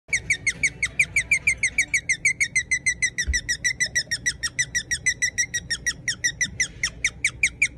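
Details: A guinea pig chirps steadily, a rapid string of high, bird-like notes about four each second.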